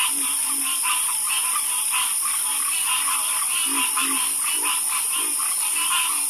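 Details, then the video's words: Frogs in a night chorus: dense overlapping croaks pulsing about twice a second, with lower rhythmic croaks below, over a loud constant high hiss. "Harmonious Frog Croaking"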